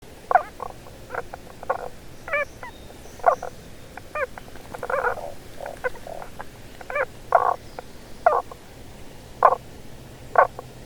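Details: Tago's brown frog calling hidden underground beneath stones, its voice reaching waiting females: short muffled croaking notes in irregular bursts, some doubled or stuttered, about once a second, with quiet background.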